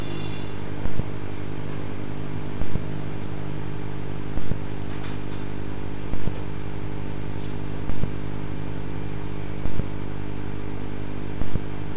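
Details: A steady low engine drone runs throughout, with sharp clicking pulses repeated about every two seconds and no animal calls.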